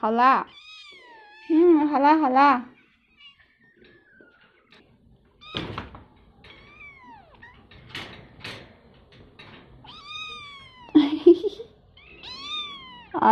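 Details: Several kittens cry loudly for food as meat is served, a string of wavering, rising-then-falling meows in bursts with pauses, a woman talking softly between them and a light thunk.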